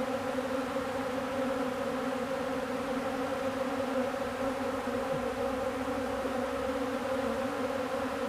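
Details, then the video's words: Many honeybees feeding on old comb make a steady, dense swarm hum, a continuous drone with layered tones that holds even throughout and never pauses. "Honeybees feeding old comb, Marks bee Bizz"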